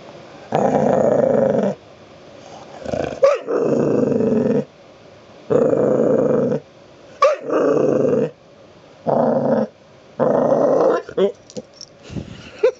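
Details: Abby, a pet dog demanding to be petted, growls in a series of long low rumbles lasting one to two seconds each, separated by short gaps, with brief sharp yips and clicks between them.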